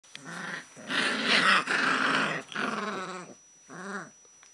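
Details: Litter of Alaskan Malamute puppies at a kennel, heard indoors. Drawn-out harmonic whines and yowls, a rough growling stretch in the middle, then a short arched whine rising and falling near the end, with brief pauses between bursts.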